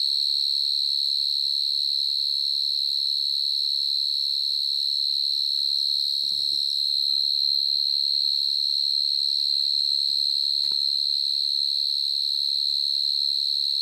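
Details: Evening in a garden, a ground-dwelling cricket calls very loudly with a sustained, steady, shrill tone that never breaks. Two brief clicks or knocks sound partway through, and a faint low murmur lies underneath.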